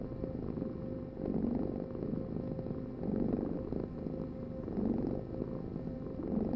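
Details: A domestic cat gives a soft, low purr. Its gentle rumbling surges come about every one and a half seconds, and the sound is slightly muffled and quiet overall.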